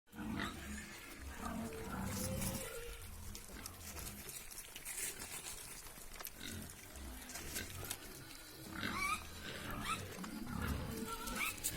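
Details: Piglets on a pig farm give low, rasping grunts in irregular bursts, about one a second. Near the end, short, thin, wavering squeals rise above the grunting against a noisy background.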